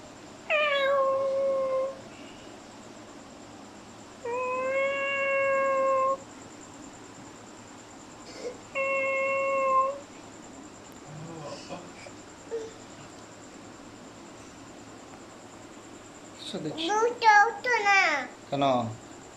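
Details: Domestic cat meowing in three long, level, tonal calls spaced a few seconds apart, followed near the end by a burst of rougher, more broken sounds over a low background hum.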